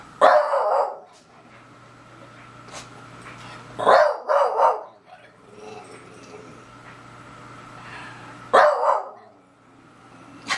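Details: Beagle named Daisy reacting to a stink bug: bursts of gruff barks, one at the start, a rapid pair around four seconds, another near eight and a half, with quiet stretches between.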